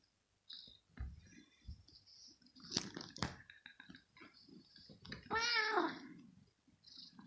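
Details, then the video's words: Kitten disturbed while resting, turning aggressive and biting; one drawn-out, strained meow with a wavering pitch, preceded by soft rustling and scattered quiet noises, with a faint high tone in the background. "Disturb A Cat 😼 While It Rests And Make It Aggressive And Bits Me"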